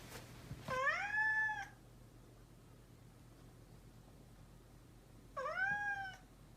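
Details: Domestic cat meowing indoors: two drawn-out, slightly arching meows about four seconds apart, each near a second long with rich harmonics, over a faint low hum.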